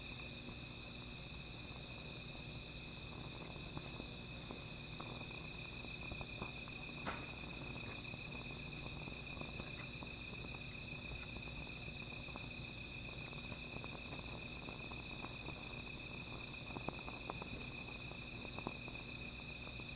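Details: Insects calling at night beside a small fire: a steady, unbroken high-pitched ringing chorus in several layered tones, with scattered sharp crackles and pops from the fire throughout.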